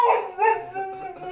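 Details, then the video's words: Boxer dog whining for food after already being fed: a drawn-out, tonal, wavering whine in two bursts, the second longer and steadier, with a person's voice just before and faint music. "Dramatic Boxer Dog"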